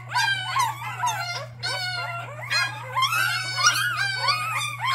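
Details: Bottle-fed puppy, seven days into hand-rearing, crying in a long run of shrill whines that rise and fall and sometimes slide upward, coming in quick bursts of about one and a half per second over a constant low hum.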